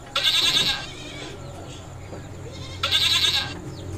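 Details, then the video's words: Mating goats on a goat farm: two loud, nasal, quavering bleats, each under a second, about two seconds apart, with quieter farmyard background between them. "Goat Sounds funny | The sound of Mating Goats"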